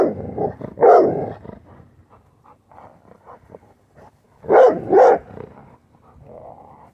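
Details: Worried pet female Rottweiler barking at a dirty plastic bottle indoors: a loud gruff double bark, quieter growly huffs, then another pair of sharp barks close together, with soft rustling between.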